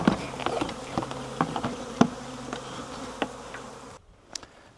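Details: Wild honey bee swarm being collected from a tree branch into a 5-frame nuc box: low steady droning hum under sharp knocks and taps, then near silence after four seconds with one last faint tap.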